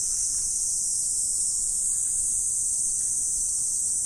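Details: Insects heard in autumn during the morning, a steady, very high, shrill buzzing wall of sound with no breaks across the short stretch.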